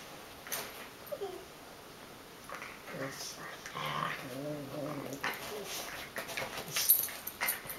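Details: A wire-haired Dachshund mix playing with a Schipperke/Dachshund mix gives high, wavering whines and short yips, with scuffling and thuds between them.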